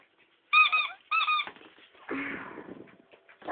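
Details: A female Miniature Pinscher barking at a toy gives two quick, shrill, high-pitched yaps, followed by a person speaking.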